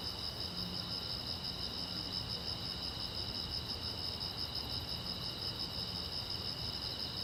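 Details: A chorus of crickets on a silent road at night gives a high, shimmering trill, pulsed and unbroken from start to finish, with a faint low hum underneath.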